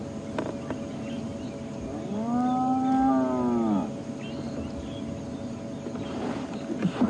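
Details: At sunrise on 17 January 2016, on a morning safari drive, a spotted hyena gives a low, drawn-out, cow-like moan that swells and fades: a contact call that sounds quiet to people but that hyenas can hear a couple of kilometres away.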